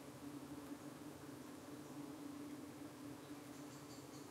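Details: Honey bees at a UK hive entrance on an evening when parasitic flies were darting in and the bees were defending themselves: a steady low droning hum with faint higher buzzy flickers near the end.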